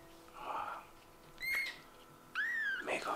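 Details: Tiny kitten whose eyes have just opened, indoors, giving two high, thin mews, each a short arched cry rising then falling, over soft Japanese speech from a person nearby.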